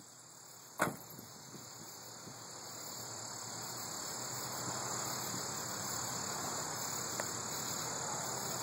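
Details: Cicadas give a continuous high-pitched electric buzz at an even level over a faint hiss, recorded 11 August 2012; a sharp knock sounds near the start and a soft tick later.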